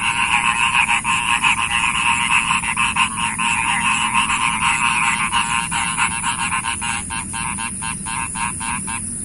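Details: Frogs calling in a loud continuous chorus, rapid rhythmic rattling croaks about three to four per second, becoming sharper and more separated near the end, over a constant high-pitched insect-like whine.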